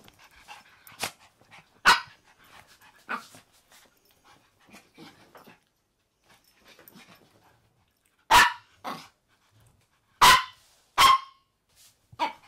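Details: Maltese dogs on a bed at home: a male born December 2015, a female born December 2016, and their daughter born August 2018. Soft snuffling and rustling come first, then sharp short barks near eight, ten and eleven seconds.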